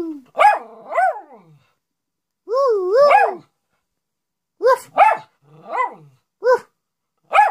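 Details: Pet Miniature Schnauzer vocalising for attention, mixing short sharp barks with a drawn-out, wavering howl that rises and falls, then several quick barks in succession; no other sounds.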